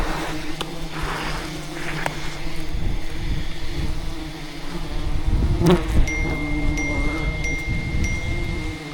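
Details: Wild rainforest bees swarming in defence of their colony while their hidden hive is cut for honey; a low, even humming drone, with brief sharp taps and a thin high ringing tone near the end.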